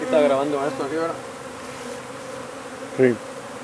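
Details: Honey bees from a hive under a wood pile in McAllen, Texas, disturbed during hive removal and relocation: a steady low hum with layered even overtones runs throughout, a voice briefly talking over its first second and a short sound near the end.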